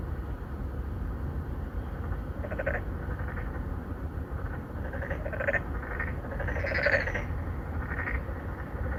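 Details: Narrow-mouthed frogs, three or four, courting females in a pond within an apartment complex in Songdo, Incheon, South Korea, 2019, captured on a Galaxy Note 9 phone; fainter, scattered pulsed croaks over a constant low hum.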